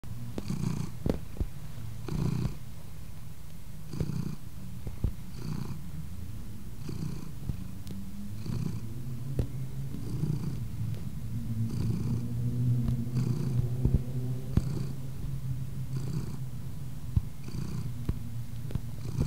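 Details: A black-and-white male domestic shorthair cat purrs steadily while kneading ('making biscuits'), a deep, rumbling vibration that swells and eases with each breath.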